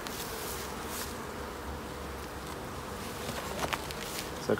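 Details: Honey bees during an end-of-summer hive inspection on 22 September: a steady, dense hum of many bees around the open hives, with faint wavering flight tones and a few sharp knocks near the end.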